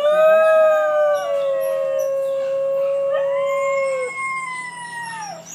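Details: New Guinea singing dogs at Palm Beach Zoo, captive in an enclosure: a long, steady, tonal howl rich in overtones, held for about four seconds, then a second voice rising and sliding into a higher sustained wail before dropping away.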